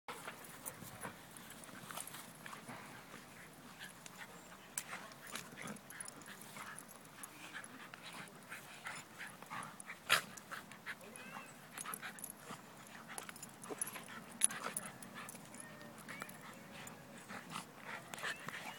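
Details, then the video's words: Two best friends, a Border terrier and an Old English Sheepdog, play fighting: low rough growls and snuffles run throughout under steady scuffling and clicking sounds, with a few sharper thuds. "Border terrier beats up Old English Sheepdog"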